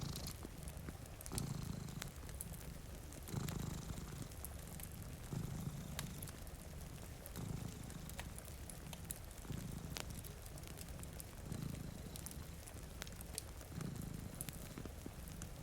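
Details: Domestic cat, one of two sleeping in front of a rainy window beside a fire, purring steadily. Low rumbling purr swells with each breath, roughly every two seconds, under sharp fire crackles and soft rain.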